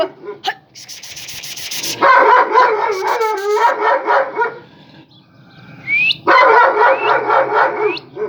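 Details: Kangal flock-guard dogs in Eskişehir, Turkey, as the new female Yıldız meets Yaban, son of the big Kangal: two runs of rapid, harmonic barking several per second, broken by a pause, with a few rising whistle-like sweeps and voices nearby.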